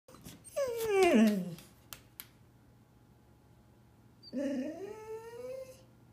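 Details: A two-year-old Golden Retriever indoors, ready to go to the parents' house, gives a drawn-out whine that slides downward. After a pause comes a second, rising whine that holds steady, set against a quiet room.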